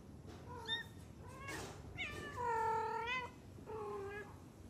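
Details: Domestic cat meowing indoors: four harmonic meows, short ones at first, then a long, loud drawn-out cry that rises and falls, and a final medium meow, over a quiet room hum.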